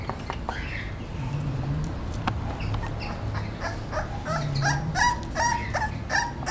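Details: Thirty-eight-day-old male English Bulldog pup Romeo makes soft, irregular whimpers, then rapid repeated short squeaky yelps toward the end, over a low droning background.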